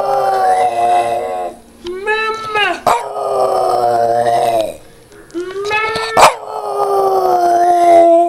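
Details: Boston Terrier kept as a pet, singing to its owner: drawn-out wavering howls broken by short rising yips, two long sustained notes separated by quiet gaps, with brief clicks and possible speech.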